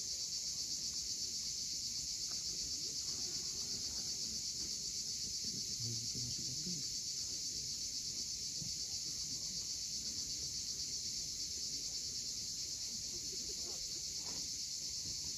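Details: Loud, dominant cicada buzz at sunset on the Crimean coast at Cape Fiolent, a constant high shimmering drone with only a faint wash of waves underneath.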